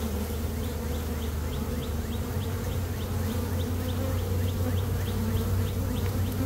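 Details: Swarming honey bees being boxed by a beekeeper in early May, one of two swarms that day: a dense, continuous low buzzing hum with layered droning tones, while a distant bird chirps rapidly and repeatedly behind it.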